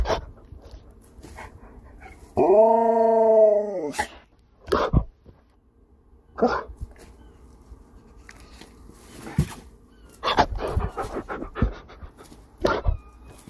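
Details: A pet husky indoors greeting a visiting dog friend: a drawn-out tonal howl-like whine about a second and a half long, followed by short clicks and thumps, faint music and a person speaking.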